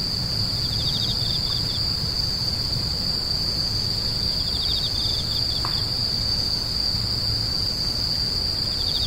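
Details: Insects screeching, grass insects: a steady, high, unbroken whine runs throughout, with short pulsed trills a little lower breaking in several times, over a low background rumble.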